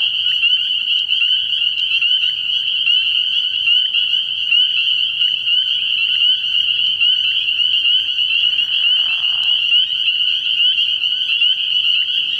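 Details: Spring peepers in full chorus after dark at a frog pond in early spring; high, insistent peeping runs throughout, and a short lower rasp appears about two-thirds through.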